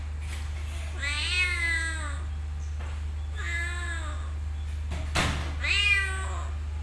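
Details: Cat in a motorbike parking lot: three drawn-out meows, each about a second long with falling pitch, spaced about two seconds apart, over a steady low engine-like hum and a brief click.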